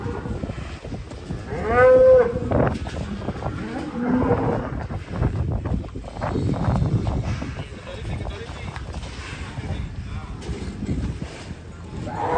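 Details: Giant, heavily built cattle lowing with one short, loud, harmonic-rich moo near the two-second mark, followed by a low rumble, with people talking and a busy background around the animal.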